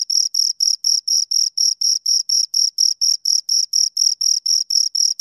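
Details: Two crickets chirp in a regular, high-pitched pulse train, about four bursts per second, in otherwise quiet surroundings.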